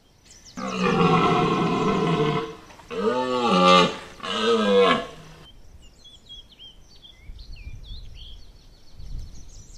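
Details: Red deer (Cervus elaphus) stag at Chambord, France, in September 2021 gives three deep, hoarse roars of the autumn rut (mating season), then small birds twitter.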